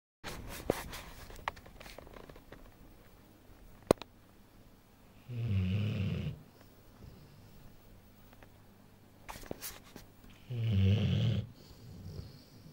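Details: Vigo, a Rottweiler a little over one year old, snores while sleeping: two long, low rumbling snores about five seconds apart, each lasting roughly a second, with quiet breathing and faint rustling between them.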